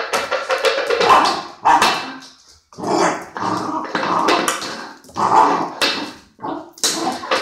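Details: Irish Setter named Luna playing with her food plate indoors; short, sharp barks come in bursts between loud clattering and scraping of the plate on the floor.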